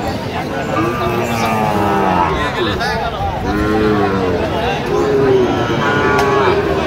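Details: Sahiwal bull calves at a cattle market in Kurigram, Bangladesh, on 14 October: several drawn-out, overlapping moos with wavering harmonic tones, some low and droning, others rising then falling, over steady crowd chatter and voices.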